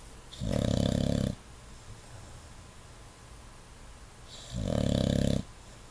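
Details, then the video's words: English Bulldog snoring while asleep with eyes open: two long, loud, low rumbling snores about four seconds apart, each lasting close to a second, with quiet breathing between. "English Bulldog snores with eyes open"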